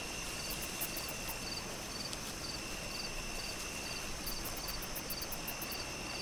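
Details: Crickets on a summer night in a breeze, giving short, high, pulsed chirps repeated at a steady pace, layered over a continuous shrill drone and soft rustling background.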